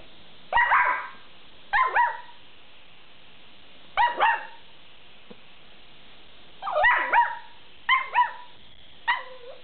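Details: A small long-haired dachshund (rabbit dachshund) gives high, whiny yelping barks, singly and in quick pairs with uneven pauses, protesting that another dachshund won't give up a treat.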